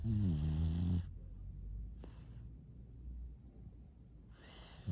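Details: Snoring French bulldog, opening with a loud, low, buzzing snore for about a second, then soft breathing, a brief airy hiss, and another breath rising at the end.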